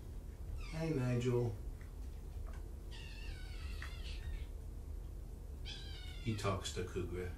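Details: Kittens, part of five from two litters surrendered in Tacoma and taken in by Purrfect Pals, giving thin, high meows, one drawn out over about a second, then a second burst, with a person talking indoors before and after.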